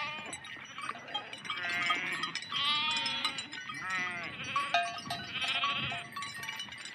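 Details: Big herd of sheep moving through water: many quavering bleats overlap almost continuously, some higher and some lower, with the tinkle of bells and splashing throughout.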